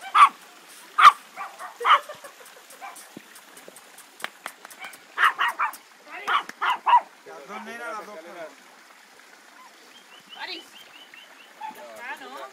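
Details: Litter Q Old English Sheepdog puppies at 55 days old, romping in play. Clusters of sharp, high yips and barks open the recording. Later come wavering, warbling whines and quieter grumbling noises.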